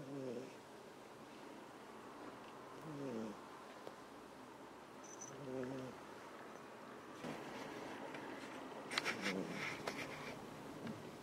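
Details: Ameta, a domestic cat asleep on a lap indoors with a second cat, Kinako, lying on top of him, snores in soft low rasping breaths about every two and a half seconds; later the breaths are covered by rustling and handling noise.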